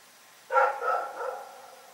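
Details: One drawn-out bark from Rex the dog at night, loud at onset and trailing off into a wavering, howl-like tail.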